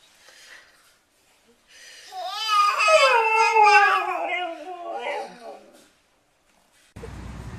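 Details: Dog producing a funny noise: a drawn-out harmonic whimpering howl with wavering, stepped pitch lasting about four seconds, rising then slowly falling, followed by a burst of broadband noise at the end.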